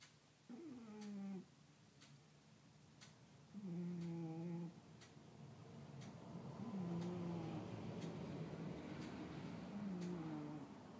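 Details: Sleeping pet cat snoring, with low harmonic rasping breaths about every three seconds over a steadily rising background hiss.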